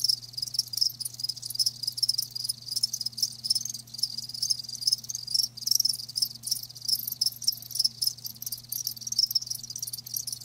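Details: Continuous shrill pulsing of live crickets, many quick chirps overlapping into a near-steady high trill, with a quiet low hum beneath.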